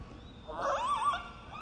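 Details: A killer whale from J-pod, a southern resident group off Victoria, southern Vancouver Island, gives a brief, wavering stereotyped pulsed call, a flat tone ending in a descending, bent pitch.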